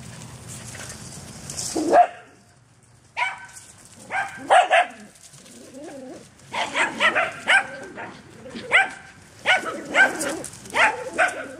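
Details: Dog romping in a back yard, giving a run of short harmonic barks that come in bursts after a noisy opening, with quiet gaps between groups of barks.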